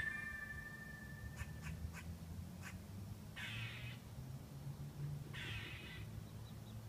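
A squirrel makes several quick dry clicks followed by two longer rasping, hissy calls about two seconds apart. A steady low rumble runs underneath throughout.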